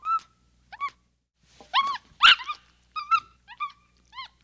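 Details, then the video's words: Capuchin monkey uttering scattered arched chirps, then a louder, harsher squealing burst in the middle, followed by more short rising-falling chirps in quick succession. "Monkey Sounds | Capuchin Sound"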